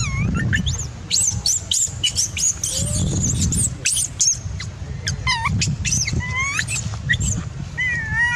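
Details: Baby macaque shouting after its mother refused to nurse it; short upward-bending shrieks and squeals, rapid clicking chatter between them, steady low background hum.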